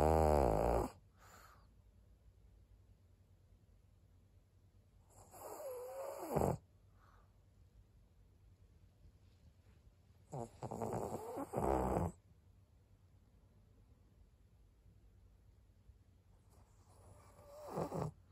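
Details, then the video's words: Elderly fawn pug Maria, an 11-year-old female in Japan, snores in her sleep: drawn-out rattling snores last one to one and a half seconds and come about every five to six seconds, separated by near silence. "パグのマリアさん。Pug Maria."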